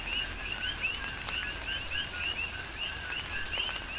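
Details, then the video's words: Rapid overlapping chirps from a chorus of coqui frogs in a Big Island, Hawaii rain shower: clear rising 'co-qui' notes come several times a second over soft rain and a few sharp drip sounds. "Tropical Rain & Coqui"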